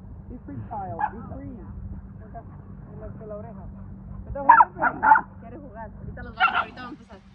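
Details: A dog on its first trip to a dog park gives a few short, sharp barks in quick succession, with people talking in the background.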